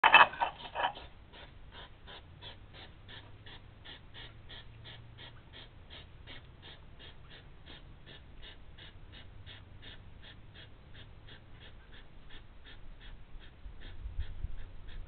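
Rapid, rhythmic puffing and snorting from a hedgehog runs on without pause, a few breathy bursts every second. The sound comes from two hedgehogs clashing, with a brief louder snort at the start.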